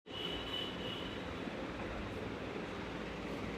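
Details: Continuous rumbling vehicle noise with a brief thin high tone near the start; no animal voice is heard.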